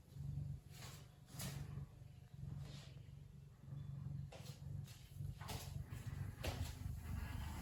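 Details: Lily, a relaxed and contented Ragdoll cat, purring indoors: a low, steady rumble that swells and fades with each breath, broken by several short broadband rustling or handling noises.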